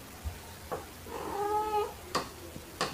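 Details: A single drawn-out, arching meow from a house cat, Pepper the black cat or Kofi the torby, during indoor play with fluffy toys in March 2021, between soft taps and thumps, filmed on an OPPO A5s phone with a shotgun microphone.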